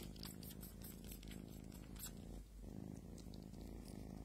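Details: Small domestic cat purring: a continuous low rumbling drone with steady pulsing texture, briefly dipping midway before resuming, close and even throughout.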